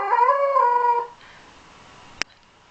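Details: Male Shetland sheepdog, set off by a playback of himself, gives a short tonal howl that rises slightly and holds for about a second, then stops; near-quiet room follows with one sharp click.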